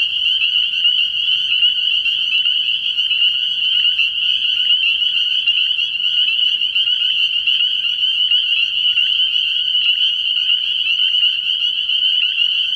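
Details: Spring peepers calling in a dense chorus at a frog pond at night early in the year; countless high, shrill peeps merge into one unbroken ringing band, steady and loud throughout.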